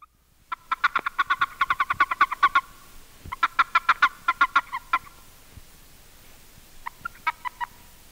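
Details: A Boreal Toad (Bufo boreas), a species with no mating call, gives rapid, pulsed warning chirps in two bursts and then a few faint pulses, the chirp a male makes when seized by another male.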